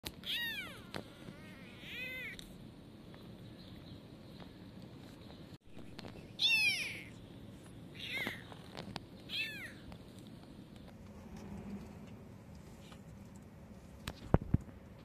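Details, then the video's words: Blind female kitten screaming for help, her mother coming close; about five loud, arched, wavering meows in bursts at roughly 1, 2, 6.5, 8 and 9.5 seconds, over a quiet background with a sharp knock near the end. "Poor blind kitten was Screaming for help"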